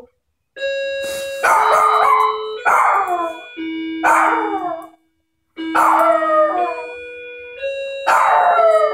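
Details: Maltese dog indoors, howling after the doorbell rings repeatedly: wavering, falling howls come in bursts of about a second, each slurring downward, over steady electronic doorbell chimes that keep sounding beneath.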